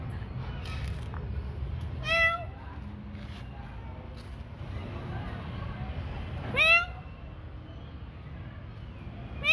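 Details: Cats meowing at night feeding time: two distinct harmonic meows a few seconds apart, then a third beginning at the end, with faint speech-like murmurs and low background rumble.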